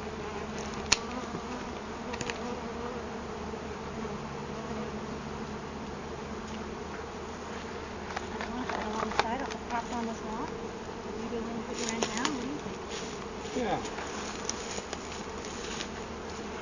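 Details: Continuous, thick buzzing from a large mass of honey bees whose hive was discovered in a felled tree, some already collected by bee-vacuum. Faint individual wingbeat whines rise and fall above the hum, with scattered knocks and handling clicks.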